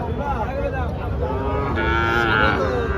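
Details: Sahiwal bull lowing at the Panchbibi cattle market in Joypurhat on 13 June 2024, during trading. A long, drawn-out harmonic moo wavers and slowly bends for about three seconds over a steady rumble of crowd and market noise.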